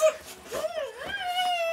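A Siberian Husky lets out a drawn, singing howl that dips and rises in pitch before settling into a steadier wail. It is an excited greeting for its owner returning home.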